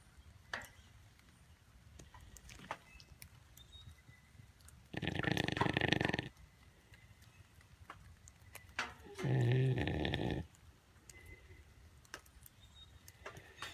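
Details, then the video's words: Melanistic black jaguar Diablo snoring during a rainy-day nap at Bear Creek Sanctuary, Barrie, Ontario, Canada; two loud, rasping snore breaths about four seconds apart, each lasting over a second, over quiet background ticks. "Jaguar Diablo Snoring"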